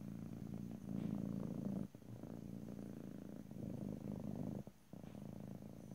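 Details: Cat purring close up in stereo ear to ear, a deep buzzing rumble in long breath-length phrases, with two brief dips where the purr pauses between breaths.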